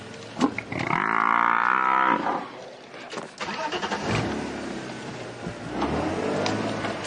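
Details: An old male Cape buffalo bellows in distress while five lionesses of a pride hunt it on an afternoon safari drive: one long, loud, harmonic moaning call about a second long, followed by vehicle engine noise and rustling.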